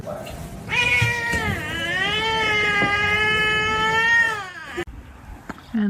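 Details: A domestic cat gives one long, drawn-out meow lasting about four seconds, tonal and rich in overtones, dipping slightly at first and then holding steady before breaking off, with a brief voice just afterward.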